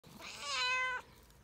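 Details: Calico cat, a friendly community cat, meowing eagerly while being petted: one drawn-out meow of about a second, rising then falling with rich harmonics, in a quiet setting.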